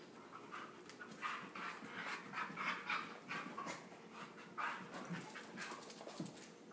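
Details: Wrestling husky pup and playmate: strings of breathy pants rising into brief throaty grumbles and whiny tones, clustered through the middle seconds, then scattered snorts while an owner scolds nearby.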